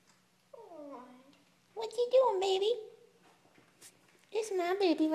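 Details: Three-week-old kittens, born 4/12/2012, giving several thin, wavering mews that slide downward, in three bursts separated by short pauses, with a person's affectionate voice talking over parts of it.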